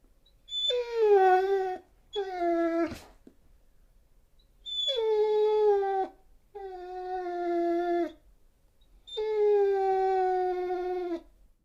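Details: Dog crying in five sustained, mournful howl-like wails, each steady and slightly falling, lasting one to two seconds with brief pauses between, plus a single sharp click near the start.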